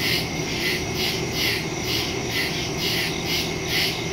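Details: Night crickets in woodland, recorded September 2, 2023 using a Shure MV88+ stereo mic on a Galaxy S22 Ultra phone: bright, high pulsing chirps roughly twice a second blending into a continuous insect hum.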